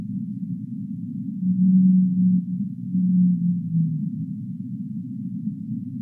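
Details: Whale in the deep sea giving low, smooth tonal moans, two drawn-out steady notes each lasting about a second, over a constant deep muffled rumble.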